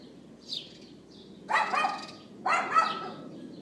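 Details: Neighbor's outdoor dog barking on April 18, 2012, captured with an iPhone 4S: two harsh, drawn-out high yaps about a second apart, preceded by a faint chirp, over constant background hum.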